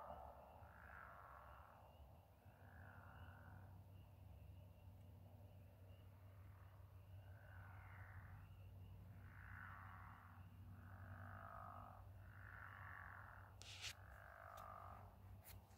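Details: Night chorus of frogs or toads by moonlit water, repeated buzzy trills of about a second each coming every one to two seconds, over a constant low drone, with a few clicks near the end.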